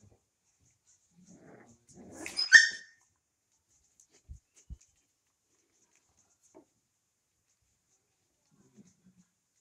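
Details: Twenty-five-day-old puppies at night in a living room: a single sharp, high-pitched yelp with a short lead-in of soft whines, then near silence broken by a few faint knocks.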